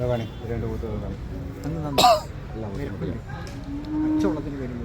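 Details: Male buffalo of the type called English buffalo at Chattiparamba market on 15 December 2024, a hot day: a drawn-out low, steady bellow near the end, with men talking loudly throughout.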